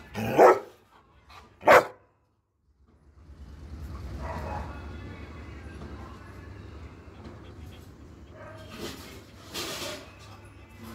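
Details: A Doberman dog gives two loud, sharp barks about a second apart. A low, steady rumble follows, and a pair of softer bark-like bursts comes near the end.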